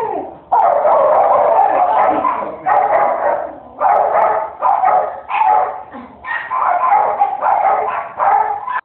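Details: Deaf miniature Australian Shepherd giving a long series of loud, harsh, sustained barks, about ten in nine seconds, each drawn out and slightly wavering, with short gaps between; nothing else clearly heard.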